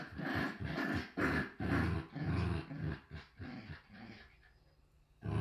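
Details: Pair of Shiba Inu puppies in the Netherlands playing and growling, low throaty pulses repeated about twice a second, fading toward the end before one more rumble.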